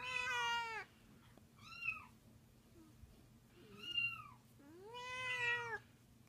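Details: A 13-year-old domestic cat, angry at hearing cats meowing, gives a series of loud, drawn-out meows over a low indoor hum.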